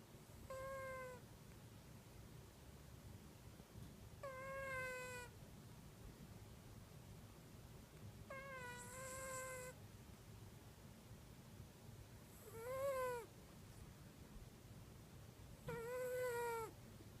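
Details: A domestic cat snoring in deepest sleep, filmed with an iPhone, lets out five long moaning cries at roughly four-second intervals, each one tonal and falling slightly at the end, with quiet low background rumble between.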